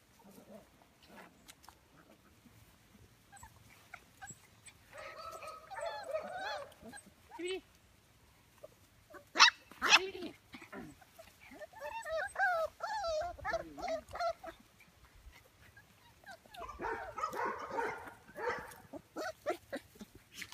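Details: Belgian Malinois puppies, five weeks old, from a litter of eleven born June 2015, in a kennel pen; bursts of high wavering whines and squeals, some yelps, with scattered clatter and brief human voice.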